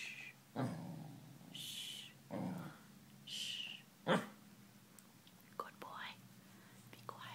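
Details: A corgi gives soft, low, muffled barks, his habit when listening, alternating with a person's whispered shushing.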